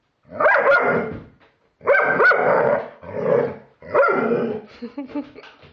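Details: Reacting to a Halloween pumpkin it does not like, a German Shepherd lets out four heavy, throaty barks at irregular intervals, ending in softer huffs and whines.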